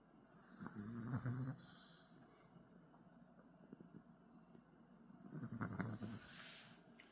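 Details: Dog snoring softly while asleep: two low, rough breathing bursts about four seconds apart, each lasting under a second, over quiet background hiss.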